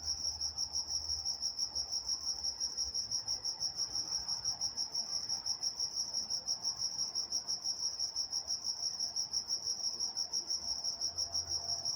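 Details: Night-time crickets in Walnut, California: a continuous shrill chirping, evenly pulsed around three times per second, with a fainter higher band above and quiet background.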